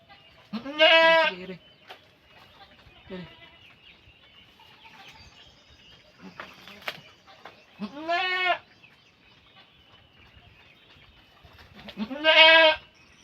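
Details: Goat giving birth, calling out in loud, harmonic, wavering bleats near 1, 8 and 12 seconds, with faint shorter cries between them and a quiet background.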